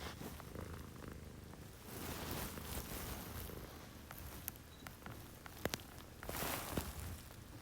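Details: Purring pet cat at six in the morning, one of two female housemates, Chomi, a Scottish Fold, and Putico, a Munchkin. A soft, low rolling purr continues beneath repeated rustling swishes and a few sharp clicks.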